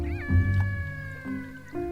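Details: A killer whale, recorded by underwater hydrophone off Seward on Alaska's Kenai Peninsula, gives drawn-out, nasal, harmonic calls that slide slowly downward over low music. Researchers identified it as an AT1 whale trying to contact the rest of its pod.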